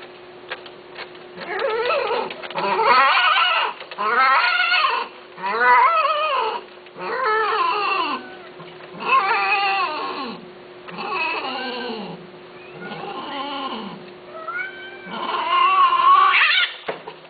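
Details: Persian and Himalayan cats, male and female, mating. Loud, drawn-out wavering yowls are repeated roughly every two seconds, each a harsh, rich cry separated by brief pauses, with a low background hum throughout.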